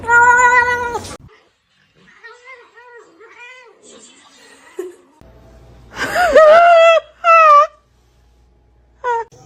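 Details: Domestic cats meowing indoors: a loud opening meow, a run of soft, quiet mewing calls, then a bent, wavering meow followed by two shorter clear meows, with gaps of near silence between.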